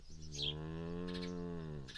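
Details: Dairy cow on a South Dakota homestead farm in De Smet giving a sustained low moo of nearly two seconds, with faint bird chirps before and after.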